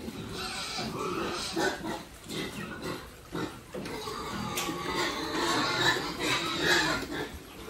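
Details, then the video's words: Pigs raised on a family farm, grunting and squealing in a busy pen; many short calls overlap in quick succession, mixed with rustling and pen noise. "How Pigs so cute"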